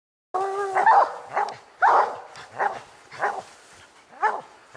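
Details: Coon dogs Lucky, Mossie and Star bay at a tree where they have treed a raccoon: a long wavering howl opens, then harsh chopped barks and bawls repeat about once a second.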